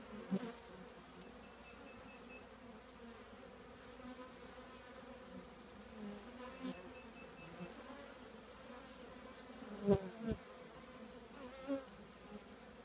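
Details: Honey bee colony living in an old trash can, a steady low droning hum of many bees with a few louder thumps and brief knocks near the end.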